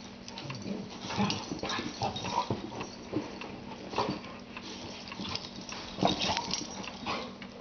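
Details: Two dogs, a white Boxer and a Rottweiler mix, playing together as best friends; short irregular growls, grunts and huffs about every second over scuffling, with a steady low electrical hum beneath.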